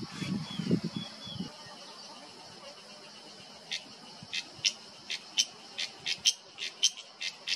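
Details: Cicada in Himalayan forest, Uttarakhand, September 2023: after a brief low murmur, sharp buzzy pulses sound at uneven intervals of roughly half a second, growing louder.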